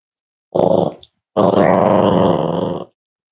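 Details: Five-week-old Cavalier King Charles Spaniel puppy from the Myra and Remy litter at Red Barn Cavaliers, indoors on a chilly Thursday morning during weight checks: a brief rough growl, a short pause, then a longer raspy growl lasting about one and a half seconds.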